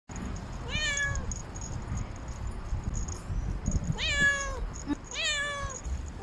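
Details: Normally quiet pet cat walking along a city wall, calling for love: three drawn-out, wavering meows, the first near one second and two more close together after four seconds, over low rumbling background noise.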